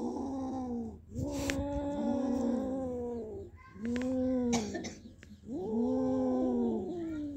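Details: Kaallu and Motu, two cats that caught a big mouse, give three long warbling yowls of two to three seconds each, separated by brief pauses. Some clatter and rustling sounds come between them.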